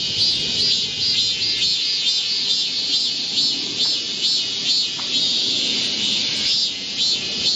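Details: Korean cicadas in chorus in a green forest during a July 2024 heatwave; high buzzing song rises and falls in repeated surges, each swell lasting under a second, forming a rhythmic shimmering drone.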